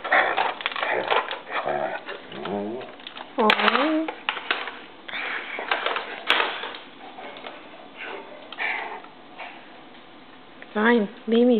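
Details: Stacey, a pet dog, walking around the house carrying her bone and making many different noises: mid-pitched whining and grumbling moans, some gliding up or down, in bursts, with a person talking over parts of it in a small room.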